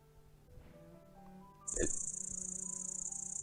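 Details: One of three grasshopper types (males sing, female may answer with a faint "chis") stridulates with a high, steady, rapidly pulsing buzz after a brief murmur of voices.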